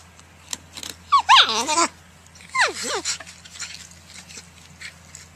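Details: Porcupine giving two bursts of high, wavering, whiny squeals that slide downward, each lasting under a second, separated by a short pause, over a steady low hum and scattered faint clicks and rustling.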